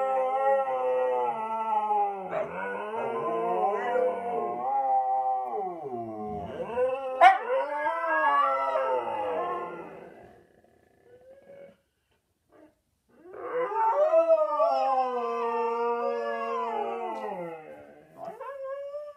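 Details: Two pet huskies howling together in a low-voiced duet, one wearing a cone after minor thigh surgery. Long, wavering, harmonic-rich howls slide and overlap, then stop for a short pause. A fresh drawn-out howl follows, ending with a rising note.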